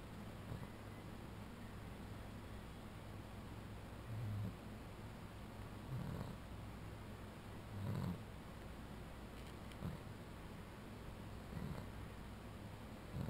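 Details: A sleeping Boston Terrier snores on a cooling bed, with soft, low, rumbling breaths that come about every two seconds.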